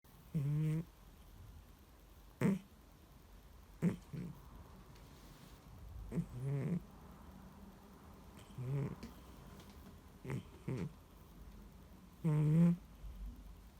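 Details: Ginger-free domestic cat asleep deeply in the next room, too soundly to be woken, snoring: low rumbling snores with buzzy harmonic tone recur roughly every one to two seconds, separated by quiet breathing.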